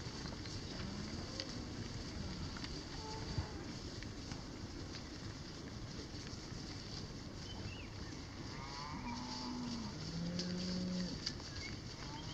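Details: Hereford cows in a paddock at Tarrawarra, with two strangers on foot nearby; a low, fairly quiet moo of a few seconds rises late in the recording over a steady rural hiss and low rumble.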